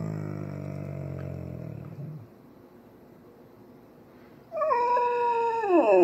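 An Alaskan Malamute gives a low grumble, then a soft, tuneful woo that slides downward, asking for breakfast.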